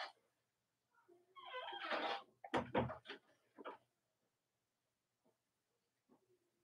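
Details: Cavalier King Charles Spaniel puppies from Robin and Myra's litters, indoors on a chilly Monday morning near Halloween in the US. Rising, harmonic whining cries are followed by a few harsher bursts, then quiet with faint short squeaks.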